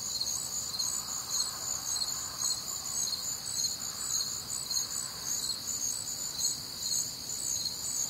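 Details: Crickets on a warm, humid summer night in the Midwest; a high, ringing chorus of pulsing chirps in layered bands, slightly slower beats, with a faint mid-pitched murmur of other nocturnal sound in the background.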